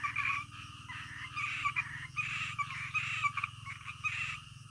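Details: Frogs calling in the middle of the night, a dense chorus of rasping croaks in bursts about every second, layered over a steady low hum.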